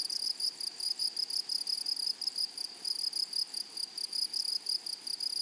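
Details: A continuous high-pitched buzzing from grasshoppers in flowery meadowland, broken into short regular pulses several times a second, with a thin overtone above and quiet background.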